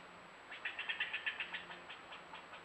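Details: Angry squirrel fussing from a tree near a bobcat that appeared at a newly placed camera: a rapid burst of about a dozen harsh, scratchy chips that slows and fades, then a few scattered chips, over a faint steady high whine.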